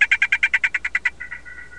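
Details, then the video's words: Male mint golden poison frog calling to females, ending a trill: about ten rapid buzzy pulses that then fade into a softer, smoother tone. "Male mint teribilis calling"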